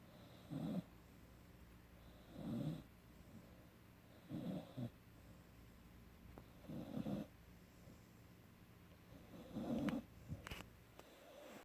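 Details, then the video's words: A 17-week-old puppy snoring while asleep indoors: soft, low rasping breaths recur roughly every two seconds, five snores in a row, with a faint click near the end. "17 Week Puppy- Emery Snoring"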